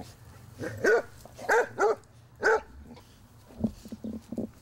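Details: Basset Hounds meeting a new Chihuahua puppy; a few hoarse, mid-pitched barks with gaps between them.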